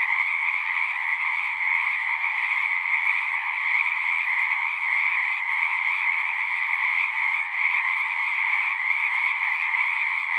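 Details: A chorus of frogs at a pond in a horse pasture, recorded on a Zoom: steady, dense trilling in two layered bands, unchanging in loudness across the clip, with nothing else audible.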